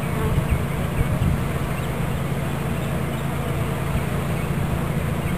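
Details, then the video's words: Swarming bees hum loudly as they are captured into a new hive in Watkinsville, Georgia, a thick steady drone with a few closer individual buzzes in the first second. "Bee Swarm Capture"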